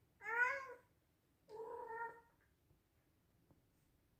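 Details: Male Scottish Straight cat meowing loudly: a short, bright, high meow followed by a longer, lower meow that falls at the end, then quiet.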